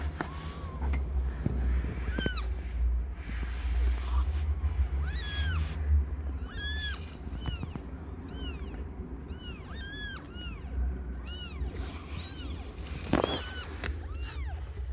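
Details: Domestic cat Aimee, under one year old, giving birth to five differently coloured kittens; a run of short, high, arching meows comes in quick succession, some faint and some sharp, over a steady low hum.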